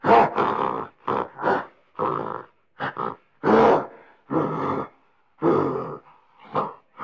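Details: Gorilla grunting: a string of short, rough, throaty grunts, some doubled, separated by brief silences, about a dozen bursts in quick uneven rhythm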